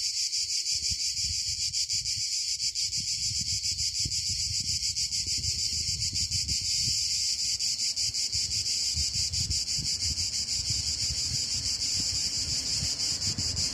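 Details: A steady, piercing chorus of cicadas in the south of Italy, an unbroken high buzz with a fine rapid pulse, accompanied by low wind rumble and rustling.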